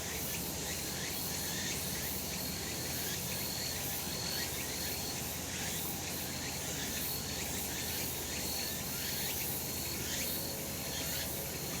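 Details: On a bright summer mountainside, cicadas keep up a continuous, even, high-pitched buzzing wall of sound with slight pulsations, backed by low ambient rumble.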